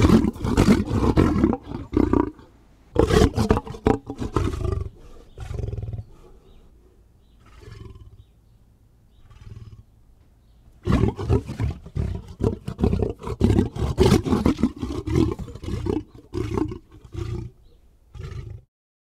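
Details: A lion's deep, harsh roaring in rapid, dense bursts, dropping to a quieter low rumble midway before loud, choppy grunting resumes and then stops abruptly.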